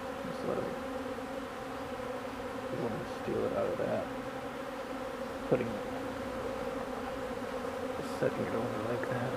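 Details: Many honeybees working old comb, giving a continuous droning buzz with slight swells in loudness and occasional brief knocks.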